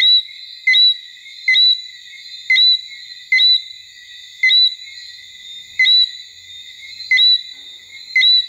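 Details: A Martinique robber frog (Eleutherodactylus martinicensis) singing at Basse-Terre, Guadeloupe, in October 2014 repeats a short, clear rising whistle about once a second over a steady chorus.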